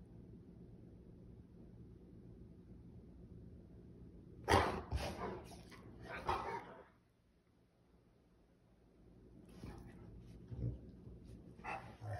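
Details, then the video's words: Pet Rottweiler throwing a temper tantrum indoors after being denied chocolate: low background hum, then a cluster of loud, harsh barking and grumbling bursts mid-clip, a quiet pause, and further rough vocal outbursts near the end. "Rottweiler Temper Tantrum"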